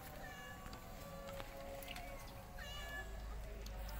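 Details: Hungry kittens, five of them with their white mother cat, give short high mews with stacked harmonics. Two clear meows come close together mid-clip, the second gliding upward, over a steady low hum and faint background noise.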